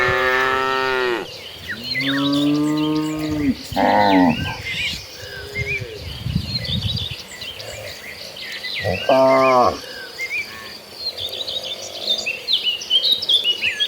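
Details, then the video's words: Domestic cattle walking in a herd of hundreds toward the pasture moo repeatedly: several rich harmonic calls in the first half, one more near ten seconds, then quieter scattered chirping of birds and insects. "Hundreds of Tame Cattle Walking Toward the Pasture, Sounds of Tame Cows"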